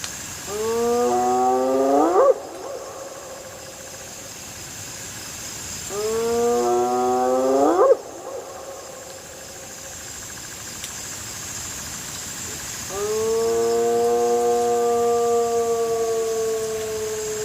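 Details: Hyenas give loud, rising whooping calls, then a long, steady, drawn-out tone.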